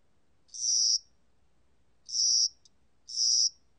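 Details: Spring-summer cricket singing: three short, high, buzzy chirps at uneven spacing, each about half a second long, over quiet background.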